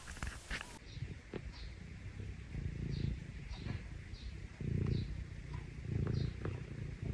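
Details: Parumu, a rescued Scottish Fold and the younger of two brother cats, purrs while seeking affection from its owner; soft low purring comes in short bursts after a sharp noisy opening, with quiet gaps between.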